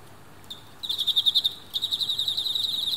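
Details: Two captive male Emma field crickets battling near a female: after a short faint note, a loud burst of quick pulsed chirps begins, pauses briefly, then resumes as a steady rapid trill, high and ringing, no other sounds.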